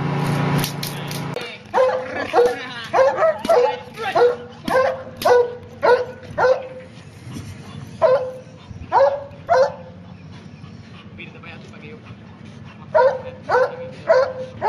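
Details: German Shepherd trained in protection, obedience and narcotics, working on a tug boat; steady series of loud barks roughly every half second to second, a short pause near the end, then barking resumes, with low engine rumble beneath.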